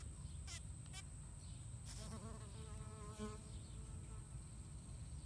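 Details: A bee, possibly a solitary squash bee (Peponapis pruinosa), buzzes in a squash flower with a wavering, droning hum that rises and falls in pitch.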